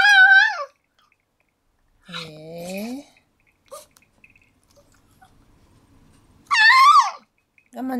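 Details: Elderly pug, 15 years 7 months old, whining indoors on 28 April 2013 because it wants to go outside in the rain; high, wavering harmonic whines in three bursts with gaps between, and a person talking softly nearby.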